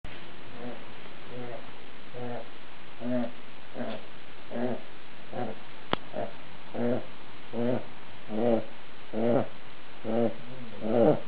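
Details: Domestic dog snoring while asleep: low, harmonic rasping snores repeated roughly every 0.8 seconds in a steady rhythm, with a single sharp click midway through.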